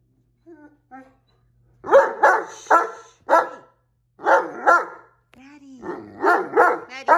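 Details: Great Dane arguing with a cat about who gets a favourite chair, letting out repeated loud talking woofs and groaning howl-like grumbles in clustered bursts, with a few quieter whines between.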